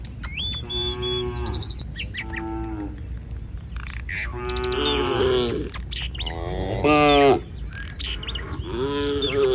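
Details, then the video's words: Cattle in a herd roaming a village street, lowing repeatedly: several drawn-out harmonic moos of varying pitch, some overlapping, with faint chirping birds and street background between calls. "Suara sapi lucu Moo"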